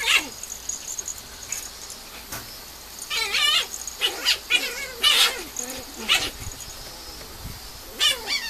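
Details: Female Mame Shiba puppy whining in high, wavering squeals that rise and fall, in short bursts about every second, with brief pauses between groups.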